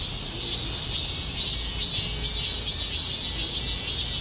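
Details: A cicada in Korea sings a high, hissing buzz that swells in steady pulses about twice a second.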